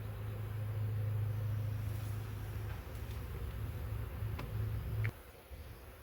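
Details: Massive honey bee swarm, caught in a swarm trap and drawn from a wild hive living three years in the woods, balled up on frames: a steady, deep droning hum that cuts off abruptly near the end, with faint clicks and knocks.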